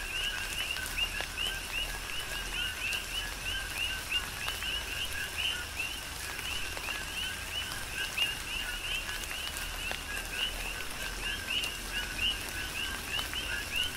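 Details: Coqui frogs calling through a tropical rain shower on the Big Island of Hawaii: many overlapping two-note calls, a steady lower tone followed by a rising chirp, repeated densely throughout, with scattered raindrop taps and a soft rain hiss.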